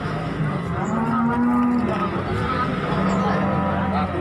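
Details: Cattle being unloaded from a truck at Margorejo market in Pati on 13 May 2020: two low, drawn-out moos, one early and one late, buried in steady crowd chatter and engine rumble.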